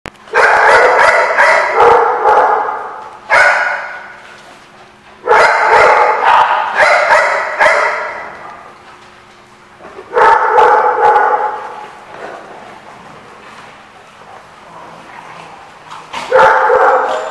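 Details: Several dogs at a place called The Barking Lot, recorded 4/10/15, barking in loud overlapping bursts of rapid yaps lasting about two seconds each, separated by quieter pauses of background murmur and occasional single barks.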